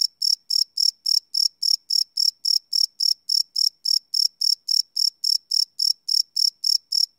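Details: Crickets at night, recorded live without loops on a Sony PCM D100: a clean, shrill, pulsing chirp repeated roughly every quarter second in a regular train against silence.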